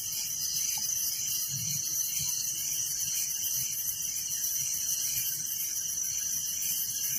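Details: Crickets chirp nonstop at night in a village, an even, high-pitched pulsing chorus with a shimmering hiss and no other clear sounds.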